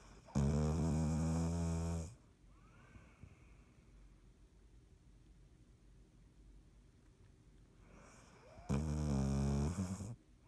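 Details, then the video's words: Sleeping cat Dottie, recorded 3.17.19, lets out two long buzzing snores about seven seconds apart, each a steady low drone of roughly a second and a half, with quiet breathing between them. "Dottie snoring"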